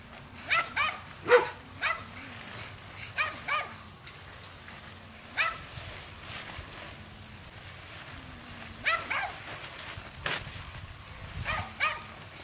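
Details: Alaskan Malamute running beside a bicycle on an outdoor run before trick-or-treating: short, sharp barks and yips in scattered pairs every few seconds over faint low rumble and background noise.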